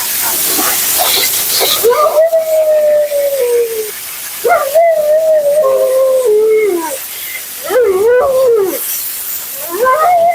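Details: Siberian Husky Mila, being bathed and groomed, sounds off in long, slowly falling wails of about two seconds each, separated by brief gaps, with a harsh blow-dryer rush strongest at the start.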